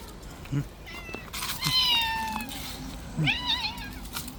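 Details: Stray cat living on the street after rough play, giving one long drawn-out meow that slides slowly downward, then a shorter meow that rises and falls. Low thumps and faint outdoor noise sit underneath.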